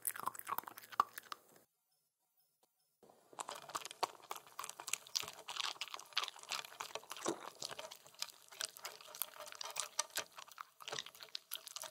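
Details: Close crunching and chewing of food in a small room, with a short silent gap near the start; no animal voice.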